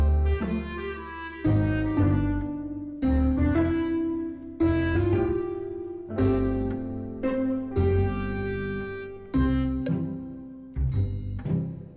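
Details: Slow cello music with bowed and plucked low notes in repeated phrases, and no animal sounds.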